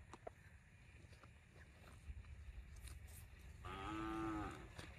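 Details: ['A cow lets out one short, low moo near the end, after several seconds of rumbling background noise and scattered knocks.']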